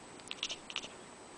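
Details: Mimi, a pet cat, twitters like a bird while watching birds fly outside the window, trying to attract them. Two quick bursts of sharp, high clicking chirps in a quiet room.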